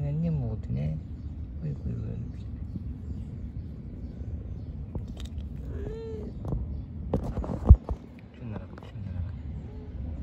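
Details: Mother cat and kittens living in a park, a few brief wavering meows at the start and near six seconds, with a steady low hum underneath and sharp knocks around seven to eight seconds.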